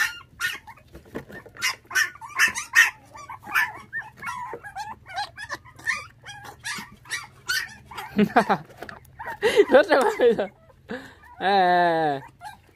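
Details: Orphaned puppies, five of them, whose mother was taken by dog thieves at six days old, now bottle-fed milk; scattered short squeaks under a man's soft talking, ending in a sustained harmonic whine.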